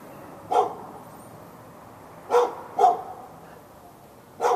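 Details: Fenced-in dog in Raleigh, North Carolina, on February 15, 2012, keeping up hours of barking aimed at the neighbour's dog; four loud, abrupt barks, two close together, over steady outdoor background hiss.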